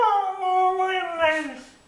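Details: Mishka, a pet dog, answering affectionate talk indoors with a short, tonal, talking-like howl that slides gently downward and trails off, resembling the phrase "I want my Mommy".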